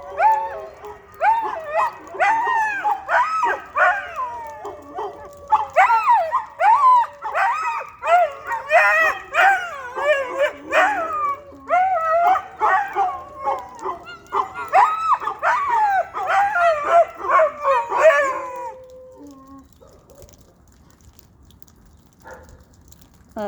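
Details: A household pack of dogs joins in a noisy, tangled howl: dense overlapping wails, yips and barks repeating in rapid waves for about nineteen seconds, then fading to near silence with a few faint whimpers.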